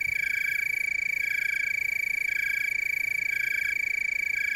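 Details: Chorusing tree crickets from Oregon's Willamette Valley give a continuous, even high-pitched trill, layered with faint rhythmic pulses from other callers.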